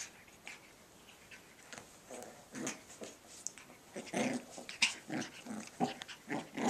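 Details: Cavachon puppies playing indoors give short bursts of low, rough growls and grumbles, some with brief higher yips, rising in loudness toward the end, against a quiet room background.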